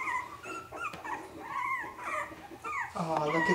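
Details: A three-week-old Havanese puppy growls when littermates bump into her. The sound is squeaky and wavering, a tiny rising-and-falling whine-growl. A lower, rougher note comes near the end, and a person speaks softly.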